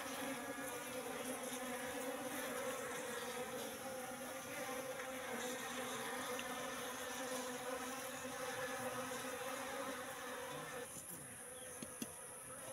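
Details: Asian honey bees, a wild colony living in a trap box for three months, hum steadily as the comb is handled; a thick, even drone, easing slightly near the end with a few soft knocks.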